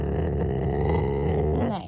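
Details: A male pet Rottweiler growls as its owner tells it not to bite and to chew its toys instead. A low, steady, grating rumble continues unbroken, then fades at the end.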